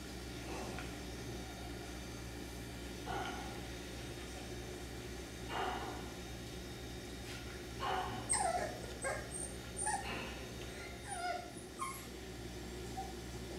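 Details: F1b Cockapoo puppies, three-quarters Miniature Poodle and one-quarter Cocker Spaniel, at a breeder's farm; short high yips and whimpers come at irregular intervals, a few sharper squeaky cries bunching together toward the end.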